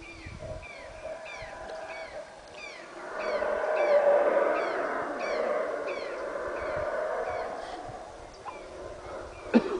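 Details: Loud howler monkeys at Caracol in Belize roar in a rough, rumbling wave that rises, dips and rises again, while a bird repeats quick descending chirps roughly every half second in the background.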